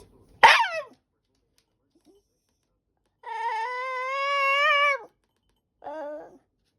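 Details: White Shiba Inu at home pestering its mother for a snack: a sharp high yelp, then a long steady harmonic whine nearly two seconds, followed by a short wavering whimper.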